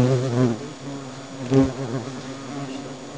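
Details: Hornets in their nest sounding an alarm: a loud, low droning buzz with pulsing bands, strongest at the start and swelling again midway.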